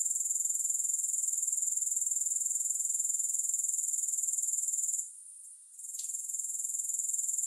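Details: High, shimmering insect chorus from grasshoppers, with no music added. The pulses throb evenly about four times per second. Toward the end it weakens for a moment, a faint tick sounds, and then the trill resumes.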